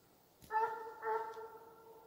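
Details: Bas, a Russian hound in Ivanovo Oblast, giving voice during the gon: two short, clear, ringing bays in quick succession, the second trailing off softly.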